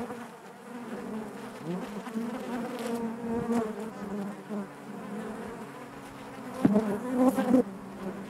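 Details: Continuous hive hum from a colony of honey bees, low droning bands overlapped by brief louder buzzes, the loudest burst near the end as bees fly close.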